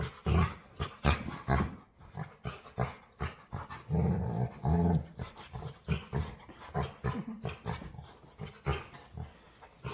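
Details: Dog begging to play, vocalizing in low, rough growly bursts: quick choppy grumbles at first, then a longer drawn-out moan in the middle, followed by more short pulses.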